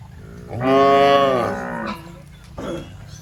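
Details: Fat, tame cattle roaming a rice field while eating grass; a single long, loud, harmonic moo lasting over a second, holding steady then falling at the end, followed by a shorter, quieter second moo.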